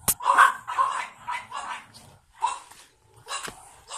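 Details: Pug with a light blue collar, born 9 April 2017, one of two pugs; uneven series of short yapping barks and squeaky yips with brief pauses, plus a couple of sharp clicks.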